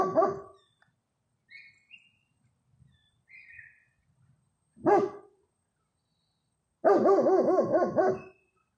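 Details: German Shepherd; barks and vocalizing; communicating with a neighbouring dog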